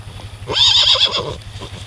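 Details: Tennessee Walking Horse filly, a baby at liberty, giving a short high whinny with a wavering, shaky quality, with a steady low engine-like hum underneath.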